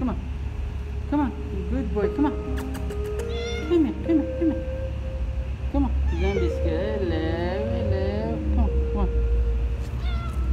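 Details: Cat in a car park, coaxed toward its food, meowing repeatedly in rising-falling wails under soft continuous music, with a man talking to it and a deep traffic-like rumble throughout.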